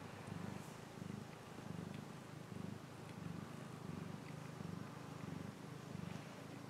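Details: A cat purring steadily, a low rumbling pulse that swells and fades with each breath, roughly every one and a half seconds, with a faint hiss of background noise.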